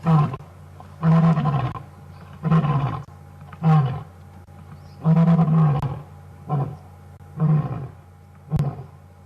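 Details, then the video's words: Male lion on a wild safari afternoon drive, roaring very close to the vehicle: a steady series of deep, throaty grunts spaced roughly one to one and a half seconds apart, powerful and low, with quiet gaps between. "Ginger Matimba (roaring)"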